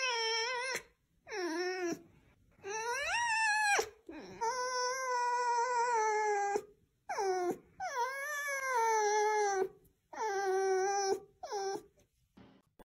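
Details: A run of repeated whines from a red fox (Vulpes vulpes), about eight calls over thirteen seconds. Each swoops up and then holds or falls in a mournful, nasal tone, with short silent gaps between them.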